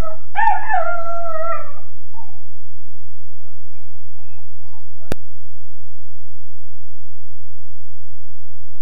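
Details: A Weimaraner puppy of about 13.5 weeks wails in his kennel, one wavering howl lasting nearly two seconds followed by faint whimpers, then quiet with a low steady hum and one sharp click.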